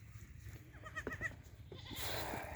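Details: Black Bengal goat kept on a farm, giving short wavering bleats with bright stacked harmonics around one second, followed by a burst of broadband noise and low background rumble.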